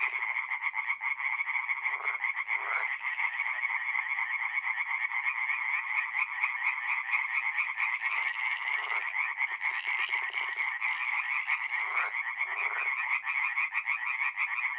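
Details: Tree frogs in full night chorus at a north-east Italian forest pond in mid-April, an unbroken rasping drone of quick pulses, a few lower croaks cutting through now and then.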